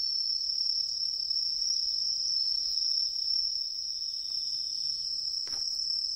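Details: Tree cricket singing in autumn in woodland along a river: a steady, unbroken, high-pitched trill that holds one even pitch for the whole stretch, with a brief faint click near the end and a quiet background.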